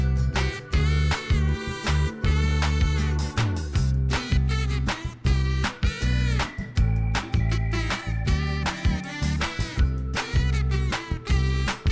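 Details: Upbeat music with vocals and a strong bass line plays throughout, with no animal sounds. Nothing else is audible beneath the steady rhythm.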